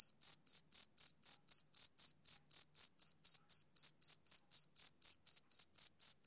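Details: Summer-evening chirping of a male cricket, bright high-pitched pulses in an even rhythm of roughly four per second, alone in silence without birds, wind or voices.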